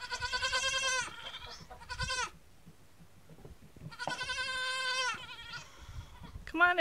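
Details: Newborn Nigerian Dwarf goat kids on day one give long, steady, strongly harmonic bleats, two drawn-out cries about a second each with a short one between, while a woman's voice coaxes them.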